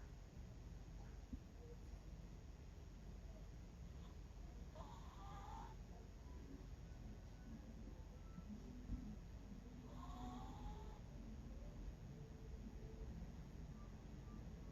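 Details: Sleeping Miniature Pinscher named Bangul-i, aged 11, snoring: two quiet wheezy, tonal snore breaths roughly five seconds apart, each rising slightly, against a low continuous hum in a quiet room.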